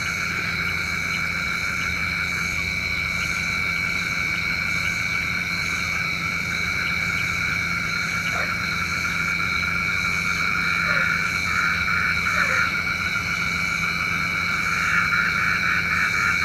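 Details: Frogs calling at night, a chorus said to call rain, rings as a sustained, even mesh of pulsing trills in high bands, with a few short separate chirps standing out in the second half over a low hum.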